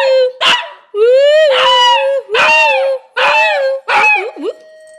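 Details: Dog vocalizing while its owner talks to it: four drawn-out, whining, howl-like yowls that rise and fall, each lasting most of a second, followed by a steady electronic doorbell chime at the end.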